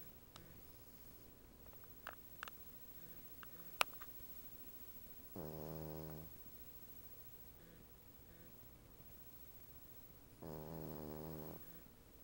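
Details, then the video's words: A female Cavalier King Charles Spaniel napping on the back of a couch snores in two long, rattling breaths a few seconds apart. "Lacey, my Cavalier King Charles Spaniel, snores!"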